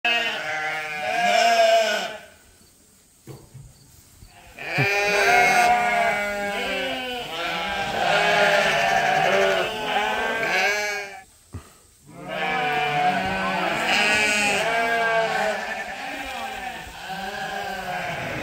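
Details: Lambs and sheep on a farm bleating in overlapping bursts, wavering and nasal, with several animals calling together in long runs separated by brief quiet gaps.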